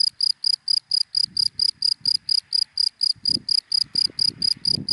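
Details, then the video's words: ['A cricket sings from dry grass by day, evenly spaced bright chirps roughly four per second, with soft low rumbling bursts in the background.'] "Sound of Cricket in Dry Grass in the Daytime"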